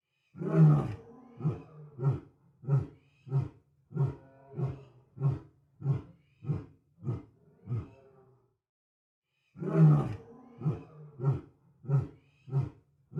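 A lion roars deeply, then trails off into a series of short, rhythmic grunting huffs.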